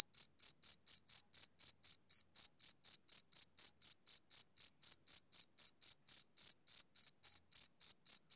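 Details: Male cricket chirping on a summer evening: clean, high-pitched pulses repeated about four times a second in a steady rhythm, with a fainter overtone above, nothing else audible.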